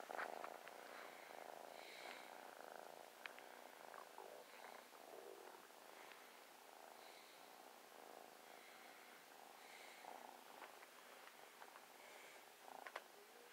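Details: New playful, affectionate kitten snuggling while purring: a soft, steady, continuous rumbling purr runs throughout, with faint rustling and small handling noises over it.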